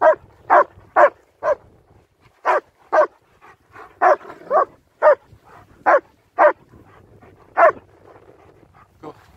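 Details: German Shepherds Nico and Zeeva bark repeatedly during a winter walk in Hawick, Scotland, recorded on a Samsung S23 Ultra: around fourteen sharp, irregular barks, roughly two a second, some doubled, over low background noise.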